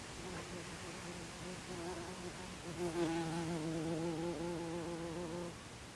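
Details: Buff-tailed bumblebee buzzing at its nest after the dance, recorded 24 April 2021 in Olariaga, Oxinaga neighbourhood, Zamudio, Txorierri, Bizkaia; a strong, rich, low humming drone with wavering pitch grows louder midway, then stops abruptly.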